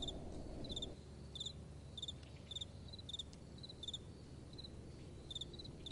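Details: Night-time crickets with gentle wind: bright pulsed chirps spaced roughly every half second to second, a louder gust of low wind noise fading after the first second.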